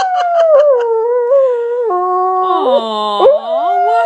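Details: Pet dog throwing a tantrum after pushing his bone under the sofa: a continuous loud howl that opens with a few yips, then wavers and dips in pitch before rising again, with light background noise.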